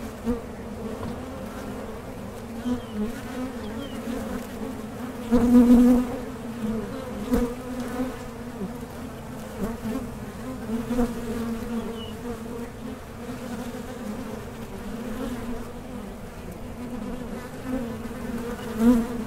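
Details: Honey bees buzz around a Mason jar honey super kept for small-scale beekeeping. A constant deep hum carries a fainter overtone, with occasional louder fly-by buzzes, one strong pass near the middle.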